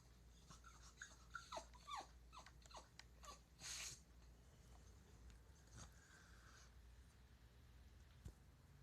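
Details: An 8-year-old male Boston Terrier gives quiet, short yips and whiny barks in quick uneven bursts, wanting to sniff another dog's rear; Boston terrier.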